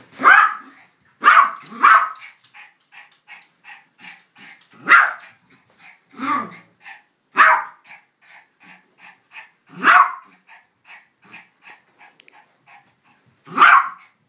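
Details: Pet dogs Billy, a Yorkshire Terrier, and Elizabeth Taylor, a King Charles Spaniel, with one dog barking sharply and loudly about every one to three seconds, eight barks in all, separated by quieter whiny, rhythmic pulses.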